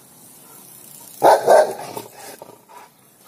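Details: A Rottweiler puppy wanting to play with a cat gives two quick barks close together, followed by softer fading yips and a quiet background.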